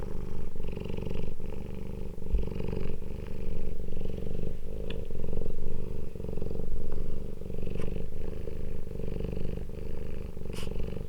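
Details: Cats of one household meeting again after two weeks' separation: continuous deep purring in rhythmic pulses, a few soft clicks and faint higher squeaks scattered over it.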